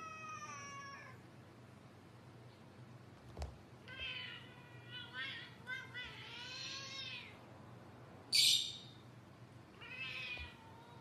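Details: Kittens and cats from a playful compilation, meowing repeatedly: a series of harmonic, wavering meows, some rising then falling, one sharp high squeal near eight seconds, over a low steady hum.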